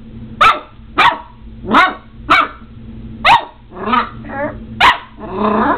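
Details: Omega, a Border Collie puppy aged seven weeks, battling a doorstop with steady high barks about every half second, ending in rougher, growly yelps mixed in the final seconds.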